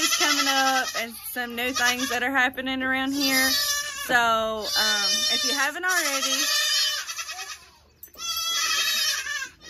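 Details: Kidding season 2022, many young goats bleating together in long, shaky, nasal calls that overlap heavily, then a brief lull before more high bleats resume.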